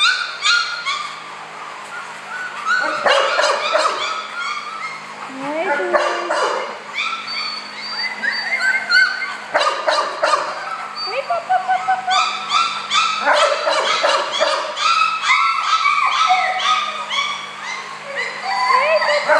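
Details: Several happy four-week-old male puppies whine and yip in a dense, overlapping chorus of high, rising and falling squeals with short sharp yelps, while a woman talks to them affectionately.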